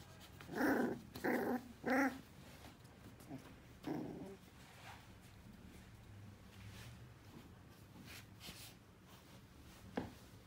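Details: Uzo, an English Cocker Spaniel puppy aged between eight weeks and six months, gives three quick sharp yaps close together near the start, then a softer fourth; quieter indoor rustling and faint sounds follow.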